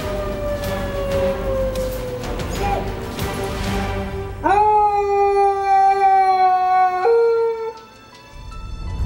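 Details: Domestic dog howling, a call used to communicate with other dogs, get an owner's attention, or answer sirens or other dogs; long, steady, tonal howls, the first slowly falling, the later ones held level, with background music.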